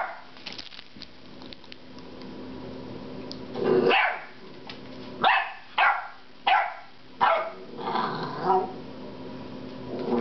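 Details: Frustrated 10-week-old puppy Loki sounds off at a rubber squeaky pig indoors: a low growl building near four seconds, then a run of sharp barks roughly every half second to second, with soft room noise before.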